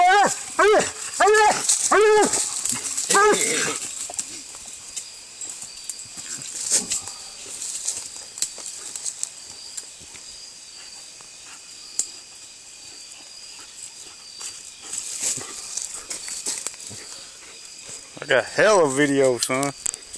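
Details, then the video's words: Walker Hound fighting during a coon hunt, outdoors: a rapid burst of harsh, wavering yelps and snarls over the first three seconds, then a long quiet stretch of scattered rustles and clicks, and a final loud outburst of wavering cries. "Coon hunting Walker Hound fight"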